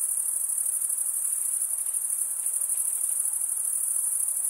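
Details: Crickets chirping by stridulation, one wing's top run along the comb-like teeth of the other, usually males: a continuous shrill trill with rapid fine pulsing, steady and uninterrupted.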